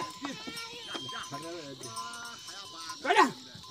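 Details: Himalayan goats herded through forest in Munsyari, Uttarakhand, India: a few tremulous bleats overlap a man calling to the herd, with a loud shout near the end and insect hiss behind.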